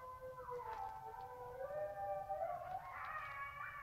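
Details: Pack of wolves at night by a lake, less than 100 m from the cellphone, near the end of their 'party': several overlapping howls rise, fall and weave around one another in a continuous mournful chorus.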